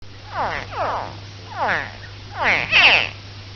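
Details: Baby crocodiles giving quick laser-like chirps, each a sharp downward-sweeping note. Four bursts are spaced irregularly through the stretch over a steady low electrical hum.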